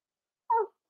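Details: Four-week-old Cavalier King Charles Spaniel puppy in an indoor home puppy pen, during a day of socializing with other dogs and trying puppy mash, giving one short whimper: a brief tonal whine with a few harmonics, otherwise quiet.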